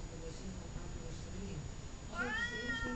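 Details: Talkative cat Columbus gives a clear meow near the end after a quiet stretch, rising and then sliding down, in a small indoor room where someone speaks his name.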